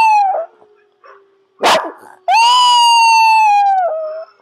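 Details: Cherub the Yorkshire Terrier, a pet taught to howl on cue by shaping. A short falling tone and a sharp bark-like burst come first. Then a loud, pure howl holds a steady pitch for over a second before tapering off.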